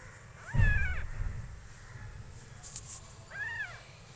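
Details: Mother cat caring for two newborn kittens a few days old, feeding and protecting them; two arched, harmonic meows, one near the start and one near the end, over low rumbling background noise.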